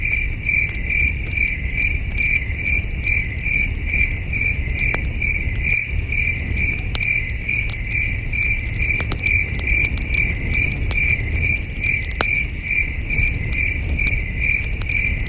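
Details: Crickets chirping at night at a starry camping site, a steady high-pitched pulsed trill repeated about two or three times per second, with a campfire crackling and popping and a low rumble beneath.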